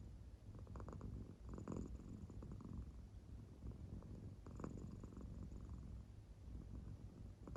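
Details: Claire, a pet American Shorthair cat, purring in deep sleep indoors, the circle marking on her belly rising and falling; low steady rumbling purr with soft breathy swells recurring every few seconds.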